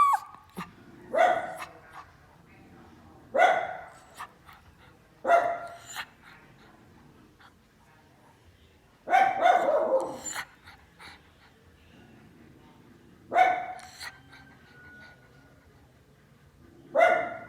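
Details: Barking dog reacting to passers-by, heard from farther off: single loud barks or quick doubles repeated every two to four seconds over a faint steady background hum.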